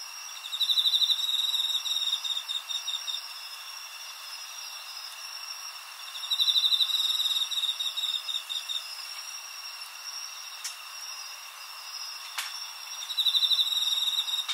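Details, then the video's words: Crickets singing in a field recording made on 20 August 2011 with a Zoom H4n: bursts of rapid, high pulsed chirping recur roughly every six seconds over steady, unbroken high insect tones. "Crickets are singing コオロギの鳴き声のフィールドレコーディング"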